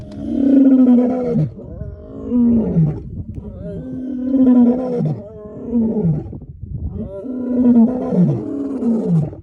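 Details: Lion disturbed from its slumber gives a steady series of five deep, moaning roars, each about one and a half seconds long and dropping in pitch at the close, with brief breaths between them.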